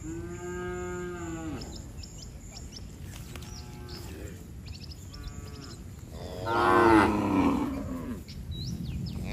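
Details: Tame cattle heading to the barn in rain: a long moo opens, followed by fainter moos and a louder rough, blaring call near the end, with high chirps and steady rain hiss throughout.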